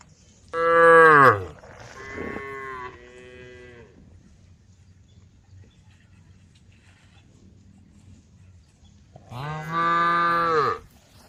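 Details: Female cows on a road calling the herd; a loud, full moo with strong harmonics, two softer shorter lows just after, a long stretch of near quiet, then another loud sustained moo.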